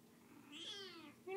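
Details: Single plaintive meow from a kitten that is recovering from being sick and wants to be picked up, rising then falling, followed by a person starting to speak.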